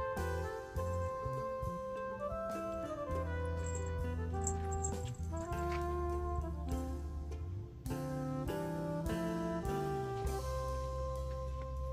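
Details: Jazzy saxophone melody over a walking bass and brass backing, steady and continuous, with no animal sounds present.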